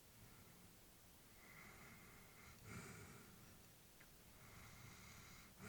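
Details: Quiet, hissy breathing from a sleeping elderly female Labrador indoors, faint airy inhales and exhales with one slightly louder snort midway, low room hiss throughout.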